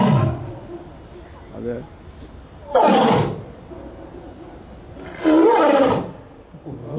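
A lion gives two loud, rasping roars about two seconds apart, with faint voices in the background.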